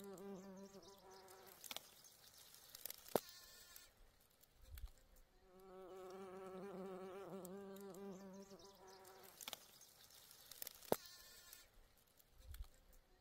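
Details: Bee among flowers giving a low humming buzz, heard briefly at the start and then as a sustained drone of about three seconds mid-recording, slightly wavering; sharp clicks and soft thuds around it.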